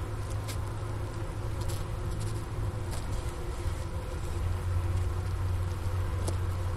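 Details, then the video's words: Wintering honey bees inside a hive at Ohio State's Wooster campus, mid-January afternoon, 15 °F outside, recorder by the inner cover opening next to sugar brick remains: continuous deep hum swelling slightly louder toward the end, with occasional soft taps. "Bee Hive Sounds in Winter"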